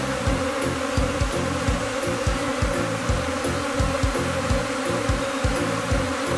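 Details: Japanese honeybees swarming in Kinokawa, Wakayama, in spring, a second afterswarm clustering on the same tree as before during capture; a dense, steady buzzing hum fills the air over a rhythmic low thumping.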